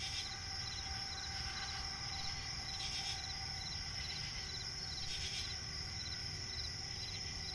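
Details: Crickets heard at night in a swamp forest, their shrill unbroken trill running throughout with softer pulsed chirps, two brief higher noise bursts, and low background rumble.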